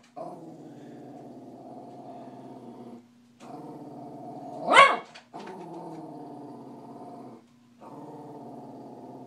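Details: A Cavalier King Charles Spaniel voicing disapproval of cats growls in long, low, rattling stretches broken by short pauses, with one sudden sharp bark in the middle.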